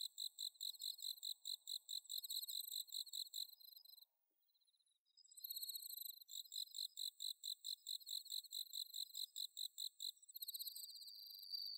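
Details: High, bell-like trilling of bell crickets on an autumn night in Inba-numa paddy fields, Chiba, Japan, recorded with a Zoom H6: steady rapid ringing pulses repeated over and over, a brief pause, then more chorus.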